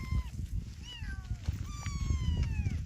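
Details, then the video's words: Orphaned kitten calling repeatedly: three or four short, thin meows, each sliding downward, the last one longer and drawn out, above a constant low background rumble. "엄마잃은 아기 고양이 a lost mother cat"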